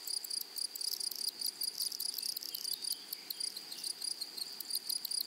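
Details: Insect chorus from grasshoppers in a prairie meadow full of flowers: a thin, piercing continuous tone broken by clusters of buzzy high pulses, irregular in spacing. No other distinct sounds.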